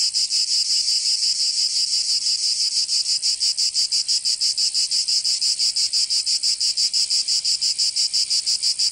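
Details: Summer cicada chorus from Provence in the south of France, a harsh continuous buzz throbbing in regular rapid pulses, close to three per second, unbroken throughout.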